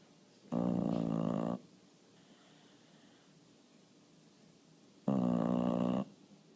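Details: Snoring of a bulldog that fell asleep after barking at a bird in the window. Two loud, buzzing, harmonic-rich snores, each about a second long, are spaced some four and a half seconds apart in a quiet room.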